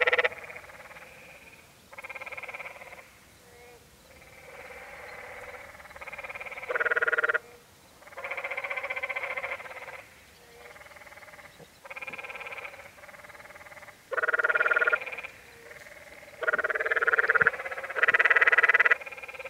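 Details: Canyon tree frogs calling at Many Pools Trail, Zion National Park, Utah: long rasping, pulsed bleats of a second or more, several callers overlapping and alternating, some near and loud, others fainter in the background.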